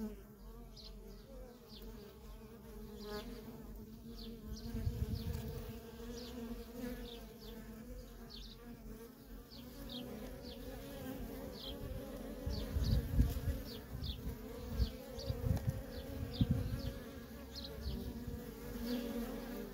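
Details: Continuous buzzing from worker honey bees streaming in and out of a feral colony, a deep layered drone with low rumbling surges, while faint short high chirps repeat in the background throughout.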